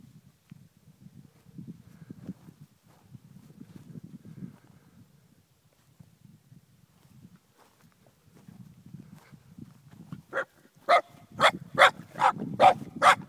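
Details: Shiba Inu named Sake, eight months old, meeting cows for the first time in the Pyrenees; after quiet rustling and footsteps, a run of about seven sharp barks arrives near the end, evenly spaced roughly half a second apart.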